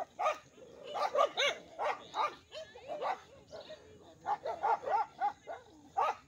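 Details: Village dogs in a dangerous fight between two rival groups: rapid, overlapping barks and yelps burst out roughly every half second, harsh and mid-pitched, with snarling in the short gaps between.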